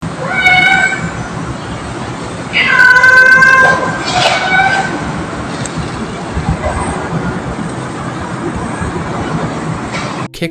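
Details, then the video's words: Abandoned kitten, rescued from freezing cold, paralyzed, malnourished and sick, crying while being hugged: two clear meows, a short one and then a longer, drawn-out falling cry, over steady background hiss and faint noise. "poor kitten can't stop crying as being hugged and loved again"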